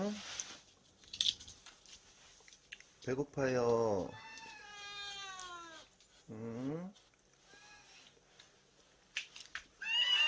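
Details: Domestic cat at a rural island cat shelter housing about forty rescued cats and dogs; a few drawn-out harmonic meows, one long falling cry near the middle, with background music and brief human voice.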